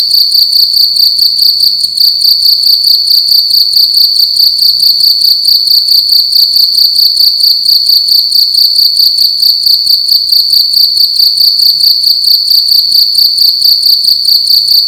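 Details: Loud cricket singing at night inside a room, a sustained piercing high-pitched trill made of fast even pulses, about two bursts per second throughout, steady in loudness and pitch with nothing else audible.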